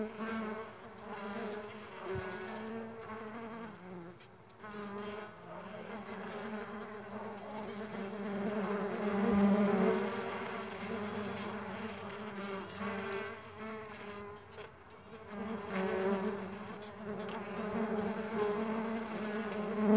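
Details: A crowd of farmed stingless bees droning steadily, the hum rising and falling in loudness as individual bees pass closer, with a couple of faint thumps along the way.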